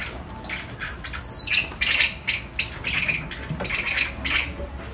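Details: Caged common squirrel monkeys at Neo Park Okinawa gather and climb the fence, clamouring as their keeper arrives: rapid high-pitched squeaks and twittering chirps, overlapping and bursting repeatedly, loud and shrill.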